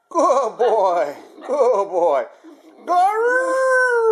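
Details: Harley, a Basenji, makes wavering warbled yodel-like sounds, then breaks into a long steady rising howl.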